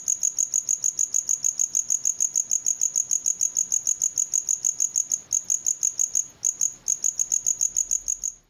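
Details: Cricket, natural sound offered as night-time rural ambience; loud high-pitched chirps repeated steadily about three times a second, with two brief pauses late on and nothing else audible.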